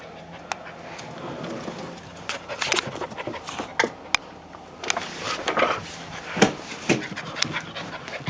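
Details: Rocky, an Australian Shepherd and Siberian Husky mix puppy about 9 to 10 weeks old, pants in quick breathy puffs. The puffs come in irregular bursts, growing busier and louder in the second half and broken by a few sharp clicks.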